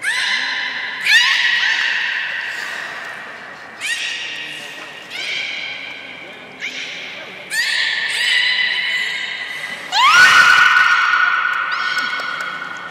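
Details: Training-session sounds of captive belugas Gray, Nana and Nico after the 16:00 public show at Port of Nagoya Public Aquarium, 1 January 2019; a string of six rising, nasal, harmonic calls roughly every one to two seconds, the last longest.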